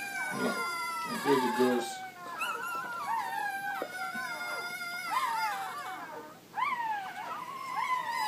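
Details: Golden retriever puppies, playful pups, give high wavering whines and howl-like cries that slide up and then fall, repeated in overlapping bursts, with faint human voices in the background.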